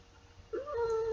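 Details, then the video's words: Baby Girl, a seven-year-old female house cat held by her owner during Twinkle Twinkle Little Star, answers with a short rising chirp that flows into a drawn-out level meow; faint room hum underneath. "my cat singing"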